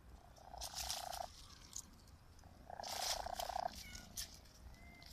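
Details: Cat giving a raspy, croaking purr-like sound in two long rough bursts, each about a second, with faint thin mews between them and a soft high whistle near the end.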